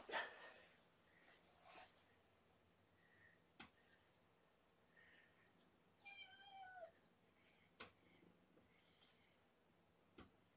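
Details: Mother cat, 1.5 years old, with five kittens born September 24 (two female, three male), in care indoors on an evening, 2019-01-03; one drawn-out harmonic meow near the middle among soft clicks and rustles, a quiet room.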